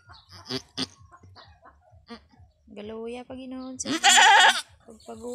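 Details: Goat during a difficult first birth on a small backyard farm: people talking quietly in a local language, then a loud, harsh, wavering bleat near the end.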